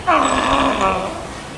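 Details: California sea lion pup, born June 20 and about two weeks old, nursing at Tennoji Zoo in Osaka, Japan, on July 5, 2014; one loud, harmonic, bleating cry about a second long, sliding slightly downward before fading out.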